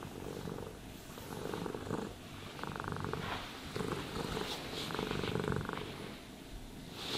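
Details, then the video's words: Domestic cat purring while being brushed and groomed: a steady, low rumbling purr that swells and fades in bursts of about a second, rising on each breath with soft pauses between, with faint grooming rustles behind. "Cats Purring Sounds for Sleep and Stress Relief | Cat Brushing, Cat Grooming"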